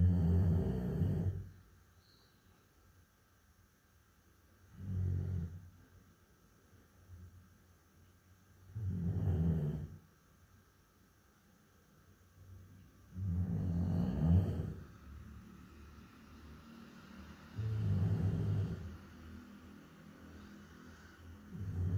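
A Labrador Retriever snores in deep, rumbling breaths, roughly every four seconds.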